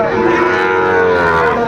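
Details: Sahiwal bull calves for sale at the start of market day at Aftabganj cattle market, Dinajpur, Bangladesh, 2 September 2025: one steady, drawn-out harmonic moo filling the short moment, with faint market noise behind.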